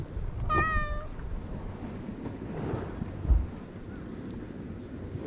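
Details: Japanese island stray cat, filmed with a GoPro HERO8 while it wanders and meets a man, gives one short, clear meow near the start, then only low rumbling background noise and a soft thump.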